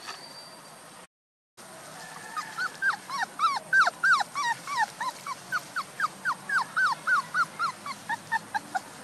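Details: Puppies one month old crying in a steady run of high, bent whimpers and yips, roughly three a second, loud and continuous after a brief gap near the start, with light background hiss.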